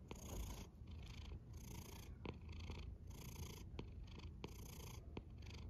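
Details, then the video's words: Snoring house cat: deep continuous rumble under alternating breathy hiss bursts, each breath lasting under a second, with occasional soft ticks. "A snoring cat"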